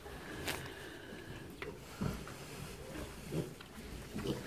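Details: Two-week-old piglets kept indoors on a farm during snowfall, eating their mother's feed pellets; soft low grunts come every second or so, with faint rustling and a light background hum.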